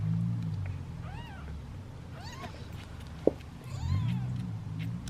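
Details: Impatient meowing from hungry kittens waiting in a basket for their meal, part of a litter of seven: three short arched mews spaced about a second and a half apart, with a sharp click midway and a constant low-frequency hum behind.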